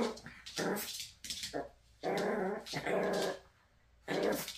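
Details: Maltese mother dog teasing her son: three short throaty growling bursts with a rough, mid-pitched grumble, separated by brief pauses, plus a softer growl in between.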